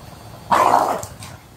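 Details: An English Bulldog gives a single loud, gruff bark with a rough, throaty edge during a tussle over chicken breast.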